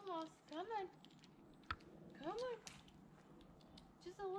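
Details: Repeated meows from Olive, a female tabby cat being rescued as she climbs down, coming in quick pairs of rising-falling wails, with a sharp knock and a person's soft coaxing in between.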